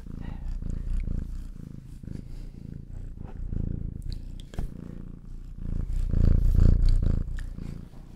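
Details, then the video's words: Domestic cats purring indoors close to a Zoom H6 microphone: a deep, steady rumbling purr in fast regular pulses that swells louder toward the end, with faint clicks and rustles. "Cats purring"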